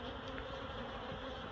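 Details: Honeybees being relocated from a barrel into a new hive box, the dense colony producing a steady, even hum throughout.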